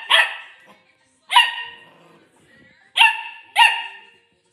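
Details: Corgi puppy barking at a cup, four sharp, bright barks with quick attacks and short tails, spaced irregularly, the last two close together.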